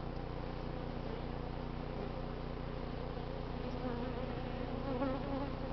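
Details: Honey bees during a late summer hive cut-out from a barbecue grill crowded with 11 combs, on an unseasonably cool day in the 80s; a dense, steady, low droning hum of many bees runs without a break.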